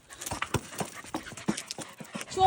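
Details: Border Collie named May panting during weekend ball play, quick breathy bursts repeating roughly every quarter second, with a faint human voice in the background.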